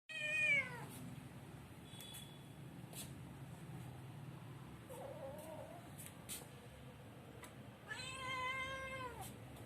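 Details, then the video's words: Kitten meowing while asking for food: a falling harmonic meow at the start and a longer, loud meow near the end, with faint clicks and low background hum between. "Give me food , cute kitten"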